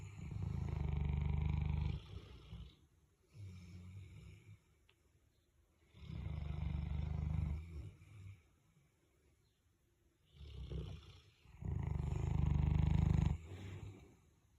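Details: Boerboel fast asleep with a second dog nearby; rhythmic heavy snoring, four deep rasping snores roughly every three to four seconds with quieter breathing in the gaps.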